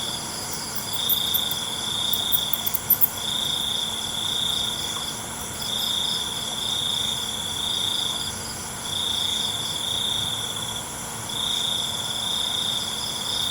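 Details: Crickets singing after dark: a regular series of five or six steady trills, each about one and a half seconds, spaced by brief pauses, with a soft continuous insect hum and scattered ticks.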